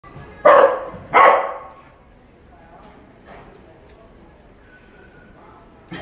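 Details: A corgi trying to grab hanging clothes gives two sharp, loud barks in quick succession, followed by quieter background sounds.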